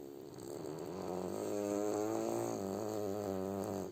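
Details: Sleeping French Bulldog Kuzya snores indoors, a continuous raspy buzzing breath with stacked wavering tones that swells in loudness and keeps going throughout, no other sounds.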